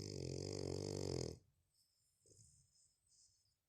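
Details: A sleeping French bulldog snores indoors. One loud, buzzy, rasping snore lasts over a second, then the dog breathes softly in near quiet.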